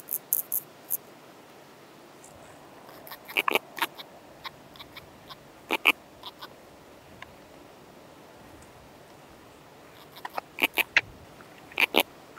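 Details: Eurasian pincer grasshopper, Calliptamus barbarus, at Haut Asco, France, 24 August 2023: scattered short, dry broadband ticks and scratchy bursts, some clustered in quick groups around four and eleven seconds, over a soft steady background hiss.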